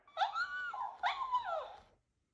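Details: Husky vocalising at a mimicking cactus toy: two short whining howls, each under a second, bending up then down, in a quiet room with faint low rumble beneath.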